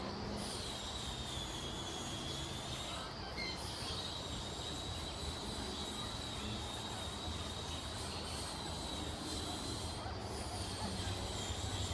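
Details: A moving train rumbles with squealing wheels, and no animal is heard.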